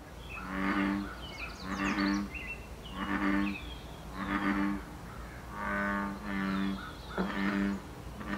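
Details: Wild American bullfrog in Canada during the breeding season, giving deep, droning harmonic croaks in a steady series, each about half a second long and repeating roughly every second, with faint bird chirps high above.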